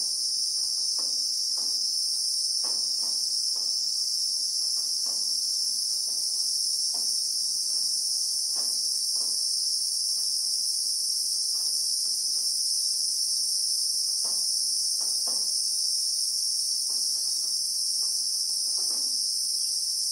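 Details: Shrill, continuous buzzing of Christmas beetles in South Africa's acacia bushveld, recorded in real time; the high whine stays level for the whole stretch while soft, irregular clicks sound faintly below.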